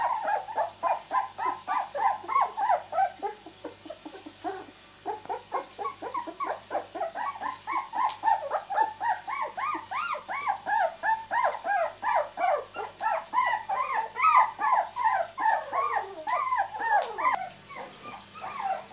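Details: Miniature Labradoodle puppies, two weeks old, from a litter born 31 July 2009, whimpering and squealing almost nonstop: overlapping rising-and-falling mewling yelps from several pups, dense and continuous throughout.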